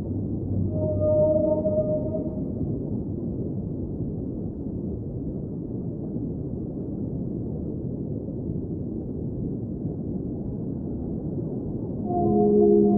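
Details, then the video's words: Underwater whale song: a harmonic moan near the start and layered tonal notes at the end, separated by a long stretch of steady low rumbling water noise. "Underwater Whale Sounds - Ambient Soundscape | Whale Singing"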